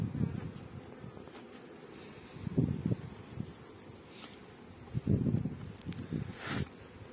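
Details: Honey bees at a bee farm in Pakistan: low, droning buzz rising and falling in bursts every couple of seconds as insects pass close, with a few sharp clicks and soft rustling between.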